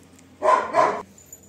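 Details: Two back-to-back deep barks from a pet Labrador Retriever in a quiet indoor space, the second running slightly longer before cutting off, then near silence.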